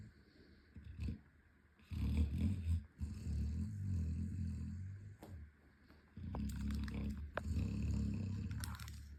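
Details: Sleeping 11-month-old Chocolate Labrador Boomer Bear, running in his sleep, snores loudly: a low, raspy rumble rising and falling in long breaths, with a brief quiet spell and some clicking, scraping movement sounds.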